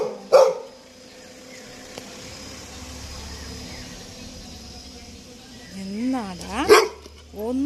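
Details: Labrador Retriever named Toby gives a single loud bark, then a long quiet stretch with low background hum; near the end a wavering voiced sound precedes a second sharp bark.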